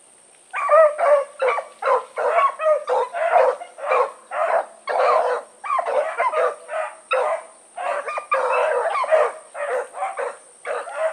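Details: On an evening run, 16 August 2014, the Blackreek dogs Choco, Dino, Johnny Ringo and Mingo bark together. Silence opens into an eleven-second burst of crowded, overlapping barks, some stretched longer, over a steady high whine.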